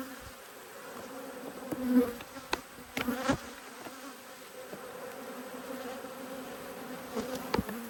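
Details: Agitated honey bees buzz during a hive inspection, angry at the disturbance. A continuous low hum with a steady higher overtone fills the recording, broken by several loud clicks, taps and bumps from the hive being worked.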